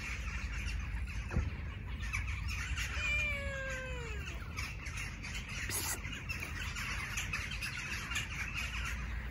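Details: Stray tabby cat seeking affection rather than food, outdoors on the street: one drawn-out meow that slides downward and fades over about a second, set against steady low background rumble and distant noise.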